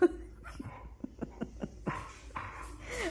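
A Thai Ridgeback gives a run of short, choppy yips followed by drawn-out, wavering whines and grumbles.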